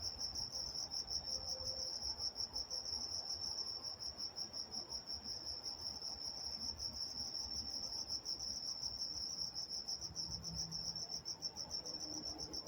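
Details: Walnut, California crickets chirping after dark: a soft, continuous high-pitched pulsed chorus lasting throughout, with faint low murmurs and brief distant tones in the background.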